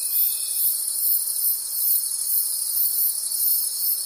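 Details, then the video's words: Night-time forest crickets in a dense chorus, a bright continuous high trilling that swells and fades in soft regular pulses, with a brief thin tone at the very start. "Forest Sounds and Cricket Conversations at Night"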